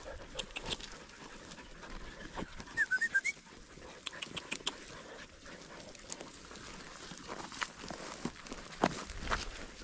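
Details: Podencos hunting rabbits in the field during the 2023 season: a quick run of four short, high yelps near the middle, amid scattered sharp snaps and rustling in the brush and a low background hiss.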